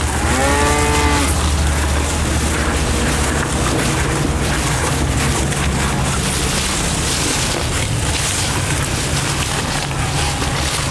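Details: A bull eating elephant grass gives a short, deep, droning moo, then steady rustling noise and a low hum follow.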